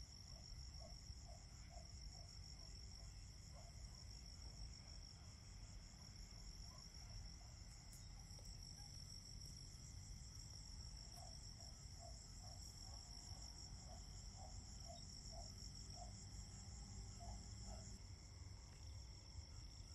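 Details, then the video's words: Fall crickets chorusing: continuous high, shimmering trills with a fine pulsing texture hold steady throughout. Short runs of soft, low, knocking notes come and go. A faint low hum sits underneath. "Autumn Crickets - 9-Hour Sleep Sound - Fall Cricket Song"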